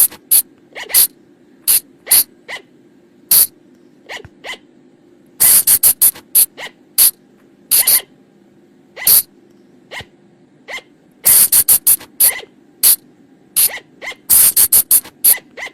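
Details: Flying lemur call, a sound used to lure the animals at night: sharp, bright bursts in irregular runs, some quick clusters of three or four, over a steady low hum.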